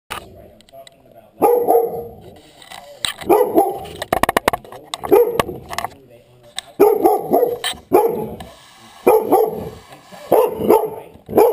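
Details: Dog barking in a rapid series of sharp, mid-pitched barks, about eight barks in short bursts with brief pauses, plus some clicking and clattering sounds between them.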